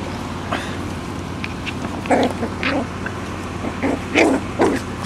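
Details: Puppies give short, sharp yapping barks in uneven bursts, about eight within five seconds and loudest near the middle and end, over a steady low hum.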